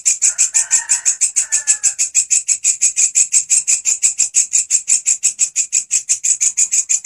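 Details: Steadily singing grasshopper, kept as a master recording for teaching songbirds: continuous, sharp, high-pitched rhythmic pulses about three per second, with a brief faint crowing-like call in the background during the first two seconds.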